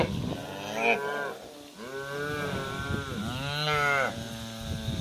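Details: Cattle, cows with calves, being moved to green summer pasture; several overlapping moos in quick succession, arching in pitch, over a busy background of shuffling and herd noise.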